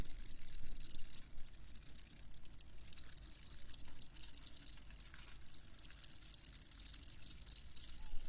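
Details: Crickets chirping in a steady night-style chorus: dense, high-pitched pulses repeated several times a second, overlapping into a continuous shimmering trill, with a faint low rumble beneath.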